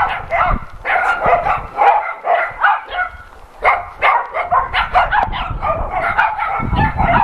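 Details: Several shelter dogs at an adoption center bark and yelp together in a dense, overlapping chorus, short loud bursts following each other almost without pause, with a few higher yips mixed in.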